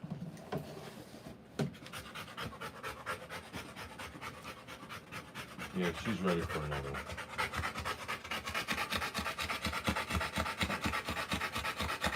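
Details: Rottweiler mother panting while whelping puppies: steady, rasping breaths a little faster than two per second, growing louder and denser toward the end, with a brief voiced sound near the middle.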